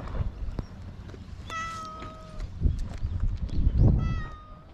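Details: A stray cat on an island meows twice: a drawn-out, harmonic-rich cry lasting about a second, then a second similar meow near the end, over low rumbling outdoor noise and handling sounds.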